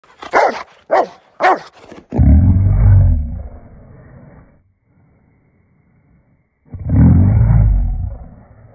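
A Rottweiler gives three sharp barks, then a deep, rumbling growl that fades and returns.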